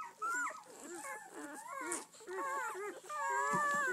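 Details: Litter of eleven red-rust Doberman Pinscher puppies, seven females and four males, born 7-12-10, on their first day out: overlapping high, wavering whimpers and squeaky rising and falling cries, almost continuous, several pups calling at once.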